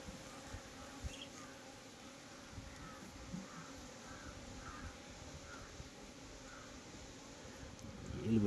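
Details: Honey bees at a beekeeping site near Nellore give a steady, low droning hum with even, unbroken tone throughout, a faint soft murmur in the background and a rustling thump at the end.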